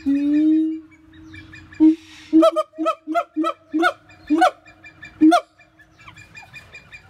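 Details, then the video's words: Siamang voice: one long level hoot, then a string of clipped, harmonic barks spaced about half a second apart, with faint hoots trailing at the end. "Voice of Siamang"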